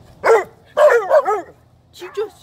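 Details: Chaco, a black female Labrador-Coon Hound mix teased on a fine October day, lets out loud barks: a single bark, then a rapid double, then a softer one, with a person's Korean speech nearby.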